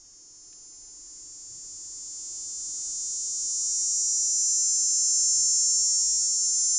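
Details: Cicada in Nova Scotia in summer giving its mating call: a high, steady electric buzz that swells gradually in loudness and holds strong toward the end, with no other clear sounds.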